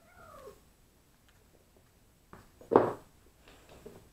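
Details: Neva Masquerade kittens from litters C and D at a cattery during evening play, watched over by their mothers and a sister from litter A; one short falling, harmonic meow opens, then quiet, then a dull thump and faint rustling.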